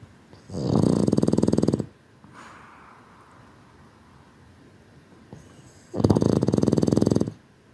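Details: Sleeping Boston Terrier snores twice, each snore a buzzy, rapidly pulsing rattle over a second long, with a soft airy out-breath and quiet room between them.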